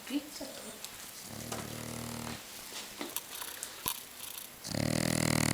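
A French Bulldog snores in low, rattling, buzzy bursts that rise and fall with each breath.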